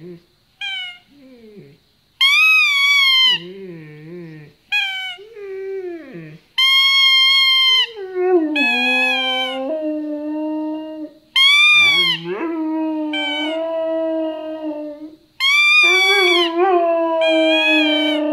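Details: An 11-month-old male Siberian Husky in Jordan howls while playing with his toy, giving drawn-out, high wavering howls that bend up and down, with short pauses between.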